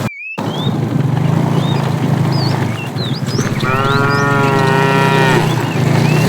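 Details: A herd of tame cows moving toward fresh pasture: one long, drawn-out, harmonic moo lasting about two seconds over a steady low rumble, with small birds chirping in the background.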